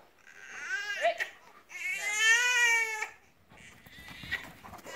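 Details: Šarplaninac, Főnix, a 15-month-old female from Római Mandula Kennel, gives high tonal whines: a short wavering cry, then a longer drawn-out whine that rises and falls over about a second, followed by quieter noisy sounds.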